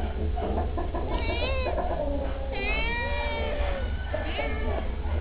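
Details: Stray kittens begging for treats give several drawn-out meows that bend upward then down, with one long level cry in the middle, over a constant low background hum.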